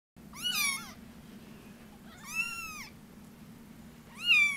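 A Munchkin kitten gives three high, thin meows, each rising then falling, with pauses between.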